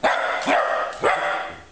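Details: Jack Russell Terrier named Çukulat, barking while jumping in play; three sharp, loud barks come about half a second apart, each with a quick rising onset and a ringing tail.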